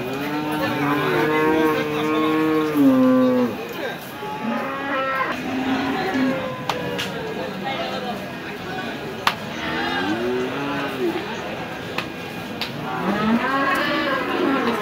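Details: Cattle at the Hazratpur cattle market in Keraniganj, Dhaka, Bangladesh, held every Saturday: a long harmonic moo for the first three seconds, then further shorter lowing calls amid crowd chatter and market noise.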